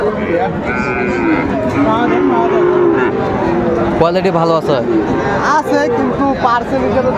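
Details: At Raniganj market in Dinajpur, where Friesian and cross-breed bull calves are traded on 28 November 2024, a sustained, slightly wavering moo sounds early on, then gives way to lively bargaining voices and crowd chatter.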